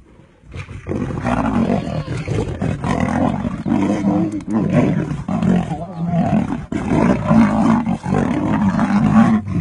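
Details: Male lions of a coalition in the Masai Mara fighting over a lioness in heat, the younger male attacking the older. Deep, harsh growling and snarling roars run almost continuously, rising and falling in rough bursts with brief breaks.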